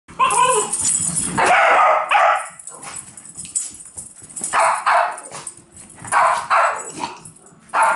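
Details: Several dogs chasing a laser give loud, sharp barks in irregular bursts, some doubled, with brief quieter yips and scuffling between them.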